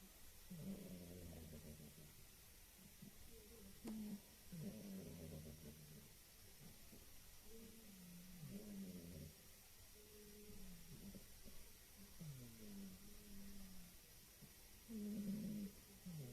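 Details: Female house cat asleep and snoring, described as sounding like an old man: faint, low, rattling snores repeating every two to three seconds, some with a short rising or falling tone, under a constant soft hiss.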